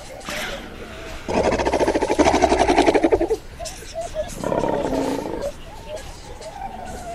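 A fur seal gives a harsh, throbbing roar, then a shorter guttural call.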